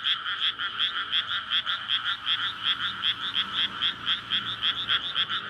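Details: Courtship chorus of frogs at night in a flooded May rice paddy near a residential area, PCM recorder: loud, raspy croaks repeated rapidly by many overlapping callers, slightly uneven rhythm, no other clear sounds.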